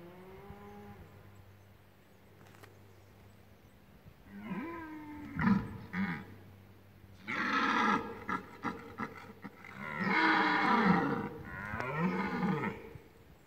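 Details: Red deer during the rut in the Lądek Zdrój forest district, Poland: a faint harmonic moan, then four hoarse, guttural roars of one to two seconds each, grouped into bursts with short gaps and low background hum.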